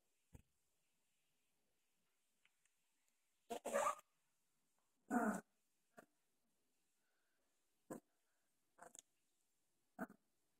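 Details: Doberman puppies 2.5 weeks old, still wobbly and uncoordinated, playing with each other and growling often; short scattered growls and yips, two longer rough bursts near four and five seconds, otherwise a quiet room.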